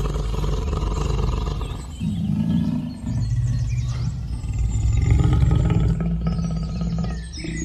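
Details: Tiger giving sustained low, growling roars that rise and fall in loudness over several seconds with a gravelly, throaty texture and a few short higher-pitched sounds above.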